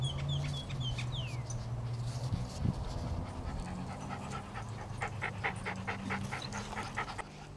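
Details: Toy Poodles Shadow, an apricot female, and Archie, a black dog, exercising on a treadmill and chasing a ball alongside Tango, a Chihuahua cross. Quick, breathy, rhythmic panting fills the second half, with thin high squeaks early on over a steady low mechanical hum.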